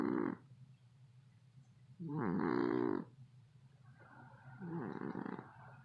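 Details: A cat snoring so loudly that it keeps people awake: three rasping, rumbling breaths roughly every two and a half seconds, each a harsh, textured burst with quiet gaps between.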